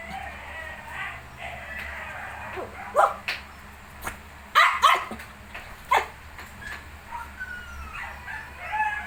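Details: Shih Tzu puppies at 19 days old give scattered short, high yips and squeaky barks, with a few quiet whines drifting between them over a steady low hum.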